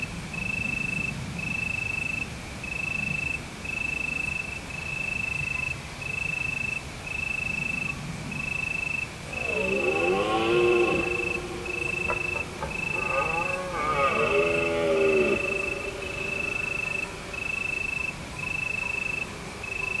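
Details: Autumn night in Provence under a full moon. Crickets sing in steady, rhythmic pulses while a deer gives two drawn-out, wavering harmonic roars about midway, each lasting roughly one to two seconds.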